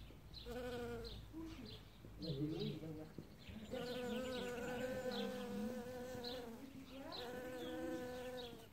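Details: Bee collecting pollen in early spring as the first flowers open: a droning, harmonic buzz that rises and falls in pitch, breaking off briefly near the middle, with high chirping birdsong repeating in the background.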